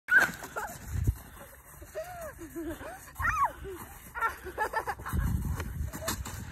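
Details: Samoyed dog hunting for a hat, giving eager whines and short yips that bend up and down in pitch, with soft thumps and rustling.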